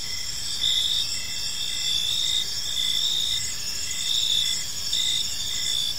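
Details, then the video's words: Crickets sing on an evening in a park, a dense high-pitched continuous buzz with gentle rhythmic surges and short repeated pulses beneath it, no other clear sounds. "Park Serenade: Cricket Sounds in a Peaceful Park | Evening Ambience"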